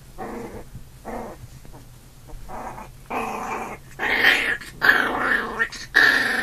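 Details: Big brother puppy fighting with a newborn puppy: rough growls at a steady pace, then louder, higher and more strained snarling yelps near the end as the tussle heats up.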